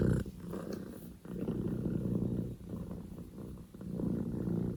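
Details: Male Scottish Fold kitten Poko J, born 15 October 2019, purring at full volume; low, dense rumble in long breath-length phrases separated by brief dips.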